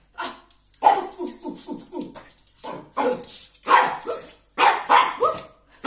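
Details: Miniature Pinscher, a pet dog indoors, objecting to a new broom; bursts of sharp, rapid yapping barks in quick clusters, several short barks per second, with gaps of silence between bursts.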